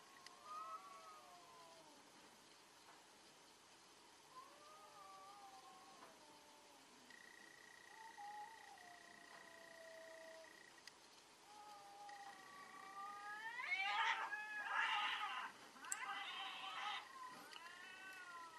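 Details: Cats in a fierce fight: long wavering harmonic yowls rising and falling, a steady high tone around seven to eleven seconds, then loud harsh screeching bursts near fifteen seconds before the yowling resumes.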